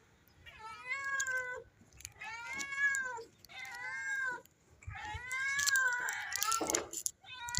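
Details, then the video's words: Hungry stray mother cat, newly delivered of kittens, begging for food: four long rising-then-falling meows about a second apart, rich in harmonics, the last one rougher and overlapped by a human voice. "Stray Cat Begs for Food After Giving Birth to Kittens"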